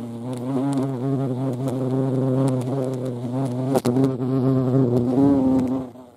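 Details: Steady, rich droning of a European hornet (Vespa crabro) hovering at a feeding place, pitch wavering gently, with one sharp knock near the middle and the buzz fading out at the end.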